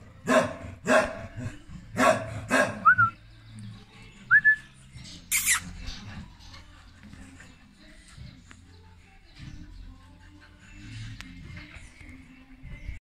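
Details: A pregnant English Cocker Spaniel female, golden, due to whelp in June 2021, gives a quick run of sharp barks, followed by a couple of brief rising whistles.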